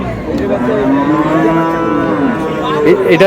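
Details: A cow with a calf at Ambari cattle market in Dinajpur, August 7, 2026, gives a long, drawn-out moo with steady, rich harmonics that falls slightly at the end, with faint crowd chatter behind.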